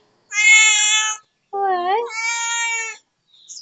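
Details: Neighbour's cat giving two drawn-out, harmonic meows, the first steady and high, the second starting lower with a wavering bend before rising and holding; a brief faint sound at the end.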